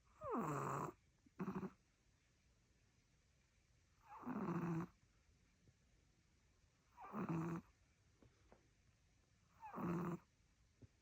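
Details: A sleeping long-haired Chihuahua in Solvang, California, snores loudly indoors: four rough, rasping snore bursts spaced about three seconds apart, each with a short catch, and quiet pauses between breaths.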